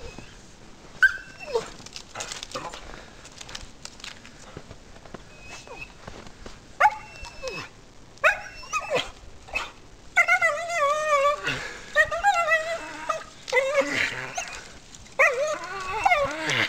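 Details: Rosie, a pet dog, climbing a tree in a home yard while chasing something, gives scattered short yips early on, then longer wavering whines and squeals in bursts toward the end, with faint human voices.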